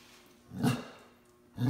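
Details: A Basset Hound, recovering after being under the weather, lets out short, deep, throaty bursts of protest one after another, as if putting on a show; he usually howls.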